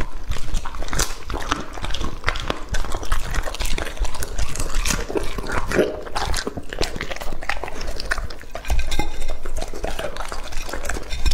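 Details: Raw meat being eaten by Lucky, a two-and-a-half-year-old male Labrador Retriever of English type. Wet, squelchy chewing and irregular crunches continue steadily, easing briefly before picking up louder near the end.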